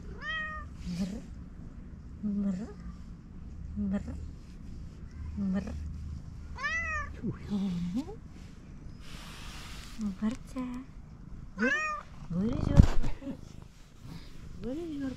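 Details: Fluffy calico cat meowing when it sees a person: clear, rising-then-falling meows repeated about every one and a half seconds, some short and some drawn out, while a woman speaks to it softly.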